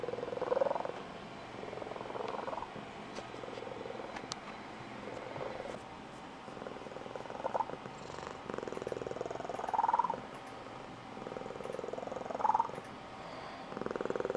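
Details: Blue Point Tonkinese female purring at home with a squeaky, high-pitched trill, used when excited or getting her owner out of bed; long pulsed purr with squeaky chirp-like peaks recurring every two to three seconds, some light taps.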